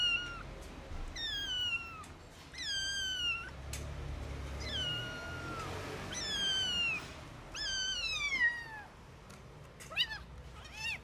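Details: Rescued stray kitten about 45 days old, not yet walking and with eye problems, meowing loudly; long drawn-out falling meows with rich harmonics come in irregular series, some short and some stretched over a second, against faint background hum.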